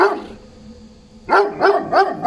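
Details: Golden Retriever, excited and fawning as it greets its grandmother after days apart. A quiet stretch with faint low hum gives way to four sharp, high barks in quick succession, about a third of a second apart.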